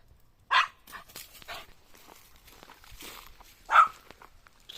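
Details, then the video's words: Puppy dog barking: two short, sharp, high yaps about three seconds apart, the second one brighter, with soft rustling and light footstep-like taps in between. "CUTE PUPPY DOG BARK SOUND"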